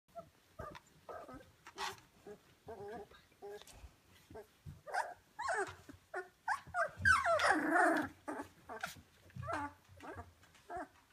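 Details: Rhodesian Ridgeback puppies at day 17, in a kennel, growing more active: short squeaky whimpers, grunts and little yelps in quick irregular bursts, with a louder noisy scuffle of overlapping cries around the middle.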